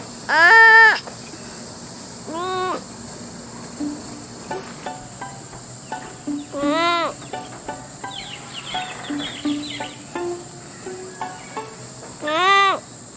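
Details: Sloth calls: short, arching, harmonic-rich squeals, each about half a second long, coming in spaced bursts at roughly two-second intervals over a steady high hiss, with fainter tonal sounds between them.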